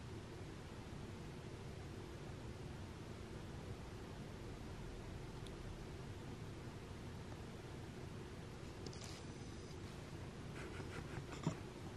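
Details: Quiet background hiss with a few soft clicks and rustles near the end, and no meows or other animal voices.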